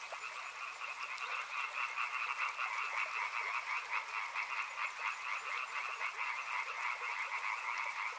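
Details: Riverside frogs in full chorus: overlapping trilled croaks merge into a steady buzzing hum at two pitch levels, with occasional sharp clicks and a light hiss throughout.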